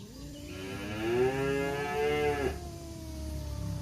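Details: Two male village cats, one black and one tabby, face off in a fight in woodland: a single long, drawn-out tonal wail that holds steady and rises slightly before cutting off sharply, with faint rustling around it.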